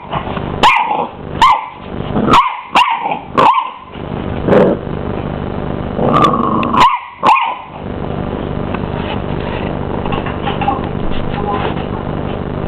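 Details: Twelve-week-old male Miniature English Bull Terrier puppy squaring up to a hoover: a run of sharp, loud barks, about six in four seconds, then a pause and three more barks, with a steady hum after.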